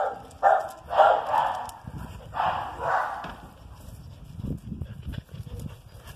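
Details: Whippet and Basset Hound playing together: several loud hoarse bark-growls in the first half, then quieter thumping and scuffling of paws with a few soft muffled yips.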